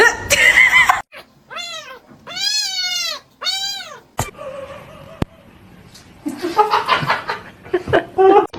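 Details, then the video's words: Domestic cat, a kitten said to be crying, gives three loud, drawn-out meows with rich harmonics, each arching up then down, close together. Softer scuffling, laughter and people talking follow. "kitten meowing crying"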